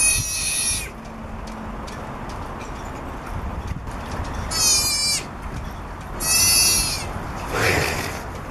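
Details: Piercing squeals from a three-week-old southern sea otter pup crying for its mother on the back of a boat in Monterey, California; three separate harmonic cries spaced several seconds apart, with low rumbling noise throughout.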